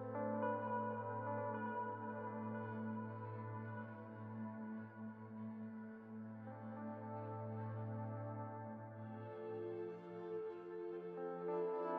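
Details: Soft ambient music with steady, sustained low tones and layered harmonics plays throughout, with no animal voices.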